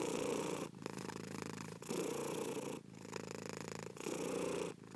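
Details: Slow, deep purring of a house cat, long rumbling breaths lasting about a second each, softer on the inhale and fuller on the exhale, repeated evenly with no background noise.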